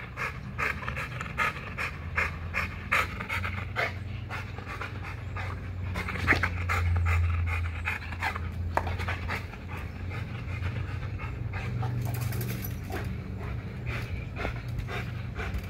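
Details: During an extreme spring pole workout at Caona Bullys, an XL American Bully pants in fast, uneven breathy pulses. A strong low rumble swells midway, and brief knocks and rattles are heard.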